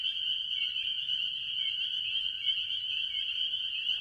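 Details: Early-year chorus at a farm pond, mostly spring peepers among various tree frogs, forming a steady, piercing high-pitched band of overlapping peeps with a few brief upslurred notes and soft low background noise.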